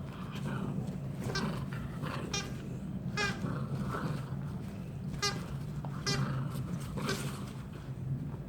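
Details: A friendly pair of poodle siblings at tug play indoors. A series of sharp, bright yelps comes every second or so over a constant low droning background, with some faint speech.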